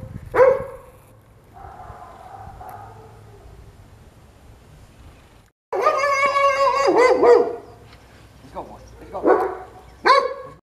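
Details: A blind Goldendoodle puppy gives a few high, squeaky barks, with a person's voice in between. He is barking at a visiting American bully dog he doesn't recognise, not out of aggression.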